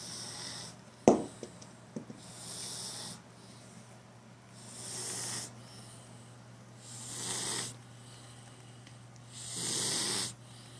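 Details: A cat snores in rhythmic, raspy breaths every two to three seconds, alternating airy hisses with gentle rumbles. A sharp knock sounds near the start, and a low hum runs beneath it.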